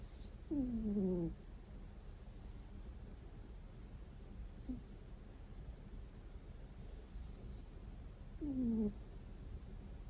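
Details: Sleeping pet cat snoring "kuu... kuu..."; two short, falling, nasal whine-like snores about eight seconds apart, with a faint tiny sound between them, all against a quiet indoor background hum.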